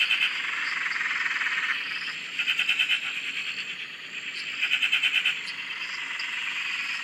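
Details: Australian dam frog chorus heard from a shack: continuous high buzzing trills punctuated by three loud bursts of fast, evenly pulsed rattling calls, each lasting under a second, against a constant background of many callers.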